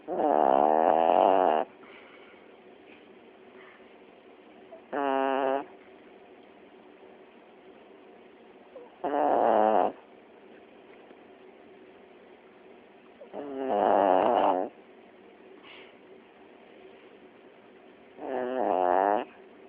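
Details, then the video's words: A sleeping Chiweenie dog indoors snores in loud rasping bursts about every four seconds, each lasting roughly a second, with quiet breathing between. "Snoring Chiweenie"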